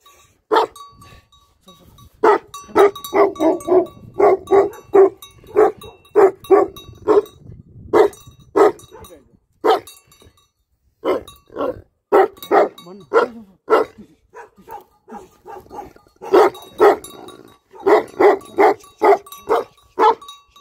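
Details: A Tibetan Mastiff (Bhote Kukur) barks in rapid runs of booming woofs, sometimes several per second, broken by short pauses. A voice is faintly audible near the start.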